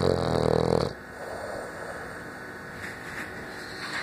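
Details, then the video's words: Snoring French Bulldog: one strong, raspy, harmonic snore fills the first second, then fades into soft, even breathing noise for the rest of the recording, indoors. "Bull dog francés roncando"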